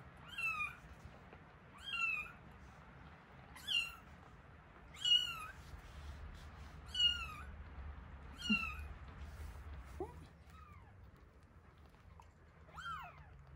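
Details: One-week-old kittens Terra and Towa crying while being fed, indoors. Short, bright mews repeat steadily about every one and a half seconds, then fade into a few softer, lower cries at the end.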